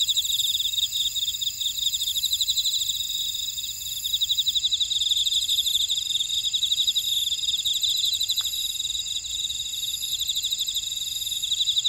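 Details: Buckwheat-field insect chorus recorded in Ora-dong, Jeju City, South Korea: several overlapping high, rapidly pulsing trills run without pause, with a single faint click near eight seconds.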